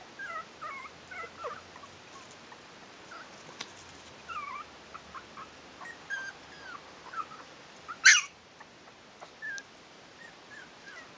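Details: Yorkshire terrier pups aged four weeks, Stellar Garden kennel litter "A", give soft scattered squeaks and short whines, quieter and sparser, broken by a single sharp click or knock near the end.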